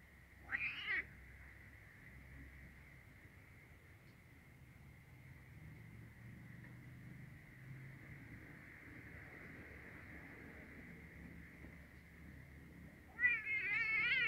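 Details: A kitten is being introduced to a black male cat indoors. A brief meow opens, a long quiet stretch follows under a steady high electronic tone, and a second, rising meow closes.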